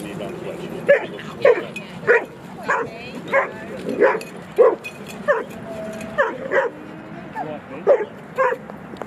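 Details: At Jeskyns Park, playing dogs let out short, bright barks spaced irregularly, roughly one every second, some high and yelping, with a soft hum of people and outdoor noise behind.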